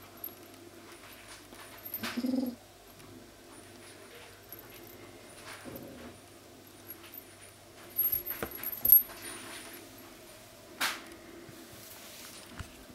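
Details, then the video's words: Furry kitten trying to get away with a toy, answering threats with owl-like sounds: two brief, low hooting calls, one early and one midway, between quiet stretches, with scattered clicks, taps and rustling nearby. "Owl Kitten"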